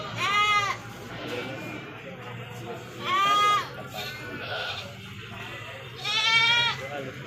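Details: Goat bleating amid the busy Majenang goat market among traders and livestock: three strong, quavering bleats spaced about three seconds apart, each under a second long, with continuous background talk and market noise.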